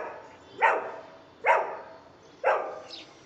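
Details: Golden Retriever barking on command in a speak training session: three punchy barks evenly spaced about one second apart, then a faint higher yip at the end.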